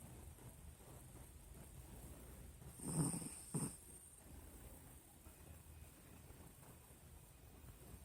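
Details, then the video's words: Pinscher named Nina asleep, giving one short low rasping snore followed by a brief second puff, with quiet room noise before and after. "Nina pinscher roncando"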